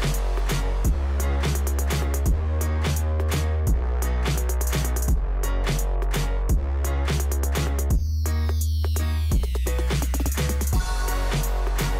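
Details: Steady electronic dance music with a pounding bass drum and layered synth tones; no animal sounds.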